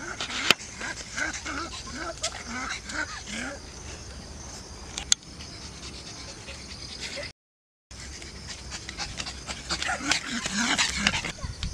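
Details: Laika, a pug nearly six months old, on her first outing in a nearby park: a run of short, rising-then-falling whimpers early on, then quieter panting-like sounds, with people talking and steady outdoor noise.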